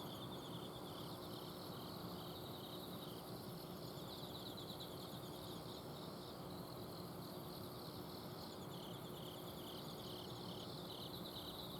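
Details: Autumn insects calling at night in a home garden in Azumino: several high, pulsed trilling trains overlap in a steady chorus, laid over the constant broad hum of an air-conditioner outdoor unit.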